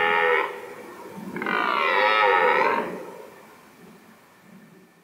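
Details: A red deer stag in the Czech Republic's mountainous Šumava National Park, in the 2019 autumn rut on a chilly morning, gives a short hoarse grunt, then a sustained, throaty roar lasting over a second.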